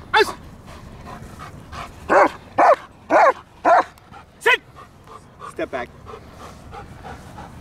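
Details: German Shepherds at Kraftwerk K9 working under full control in protection training: a run of five loud, harsh barks clustered in the middle, each short and evenly spaced, with a handler's spoken commands before and after.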